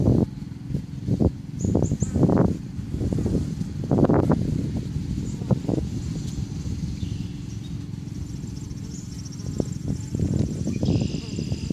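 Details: Busy bee colony at the entrance of a backyard hive on May 1st, 2013; a continuous low humming drone holds steady, with intermittent bursts of rustling and crackling and faint high tones in the background.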